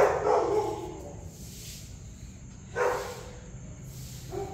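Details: Newborn puppies about two weeks old, just opening their eyes, around nursing time: a high whining squeal at the start, then a quieter gap and a second short squeal near the three-second mark over a steady low hum.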